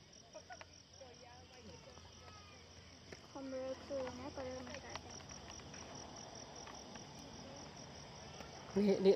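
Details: Many crickets keep up a steady, high, continuous trill throughout, while clusters of curving, lower warbled calls rise and fall in the middle and a louder burst comes at the end.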